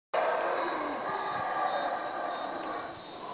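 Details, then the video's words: Howler monkeys roaring at 4 am outside a cabin at Cotton Tree Lodge in Belize, waking the guests; a dense, continuous throaty drone fills the night, with a steady hiss of insects above it. "Sound of howler monkeys"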